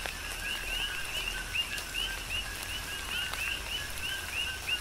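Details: Chorus of coqui frogs during tropical rain on Hawaii's Big Island, with clear upswept chirps that rise sharply and repeat irregularly over soft, constant rainfall and occasional drips.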